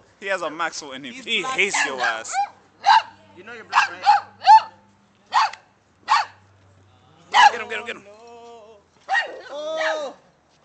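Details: A two-month-old Boxer puppy at play, lunging at a friend, gives a run of sharp, short barks and yips spaced irregularly about a second apart. People speak over the start, and a human voice returns near the end.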